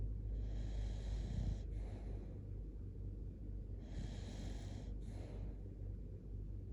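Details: Shiba Inu named Kotetsu sleeping cuddled up, snoring loudly; raspy breaths with airy bursts at about 0.5, 4 and 5 seconds over a steady low rumble.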